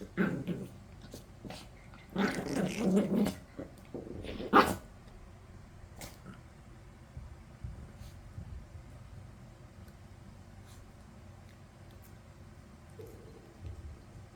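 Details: Maltese in a multi-dog household with dogs named Yeppi, Dal and Byeol, one of them the lowest-ranked; low rumbling growls come in uneven bursts through the first five seconds, then only quiet room noise.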